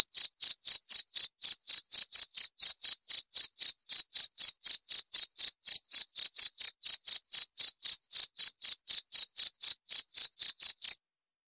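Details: Continuous cricket chirps: sharp, high, ringing pulses at about four per second, steady and unbroken throughout, with a quiet background.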